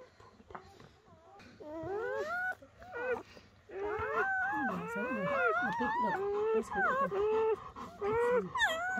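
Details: Newborn German Shepherd puppies from Betty's first night of labour, when she delivered four pups by bedtime and ten by morning. Rising and falling whining whimpers overlap, some long and wavering, with a soft human voice in the background.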